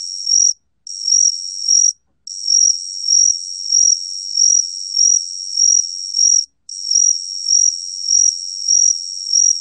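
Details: Gaksi cricket song from a 2020 National Institute of Biological Resources recording: a steady, high-pitched trill with rhythmic pulsing swells about every second. It breaks off briefly three times, with no other sounds.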